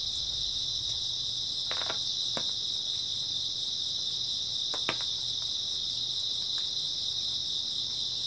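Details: Early autumn night ambience of grass insects, their high shrill chirping merged into one constant buzzing band, overlaid by occasional light knocks and crackles at irregular intervals.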